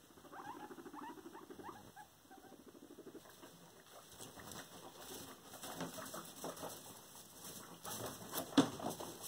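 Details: Pet guinea pig bullying a companion guinea pig: a few short, chirpy squeaks at the start, then steady scuffling and pattering rustle as the animals move about.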